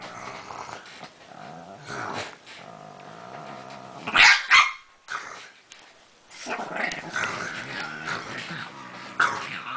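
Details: A pet Pekingese dog 'talking' indoors: rough, growly vocal bursts rising and falling, with a few sharper yips midway, while an owner coaxes and encourages it between sounds.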